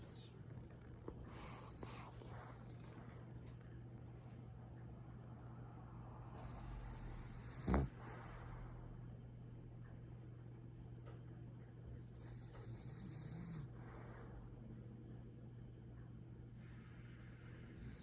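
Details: French Bulldog snoring while asleep on a lap: breathy, hissing snore bursts about every five seconds, each lasting one to two seconds, over a steady low hum.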